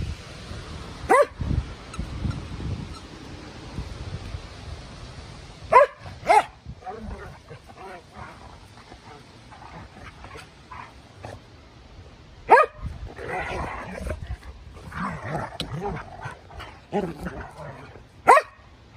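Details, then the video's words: Two Norwegian Elkhounds, Nukers and Timber, wrestling on a Sunday. Sharp, isolated barks ring out about five times over nineteen seconds, sometimes in quick pairs, with low grumbling and rustling scuffle sounds between them. "Elkhound barks"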